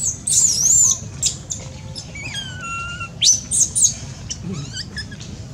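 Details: A baby monkey cries loudly: shrill, high squealing whistles that bend up and down come in short bursts, with a few lower, drawn-out falling wails in between, over a soft low background rumble.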